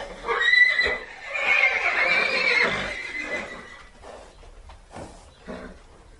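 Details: A horse whinnies for three seconds, wavering and high-pitched, then follows with softer, scattered snorts and rustling.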